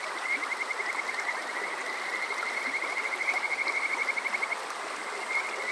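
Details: Kajika frog at Water Park Shirayama, Yokoze, Saitama, on a summer night: a long, steady train of fast, high, piping pulses lasting about four seconds. It stops, then a new run begins near the end, over a continuous stream-like hiss.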